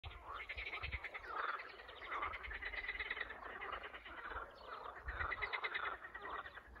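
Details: Spring frog chorus: many frogs calling together in dense overlapping rapid trills and croaks, a steady pulsing wall of sound with no single caller standing out.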